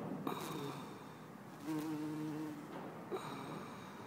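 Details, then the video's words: Bumblebee, either Bombus hortorum or Bombus terrestris, recorded in Lisbon, Portugal, on 4 December 2011; a low droning hum with overtones swells in the middle, then fades, with brief clicks and soft background noise. "Bombus Hortorum ou/or Bombus Terrestris ? - Bumble Bee"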